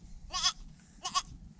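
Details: The first goat kid of the year gives two short, high, quavering bleats about 0.7 seconds apart, each with a wavering, tremulous pitch, over a low background rumble.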